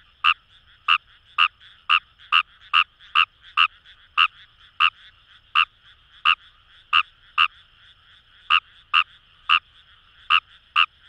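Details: Kawamura's rice frog calling in paddy fields in Itoshima, Fukuoka Prefecture: roughly twenty punchy croaks delivered steadily, about two per second with short breaks, over an even droning chorus of distant frogs.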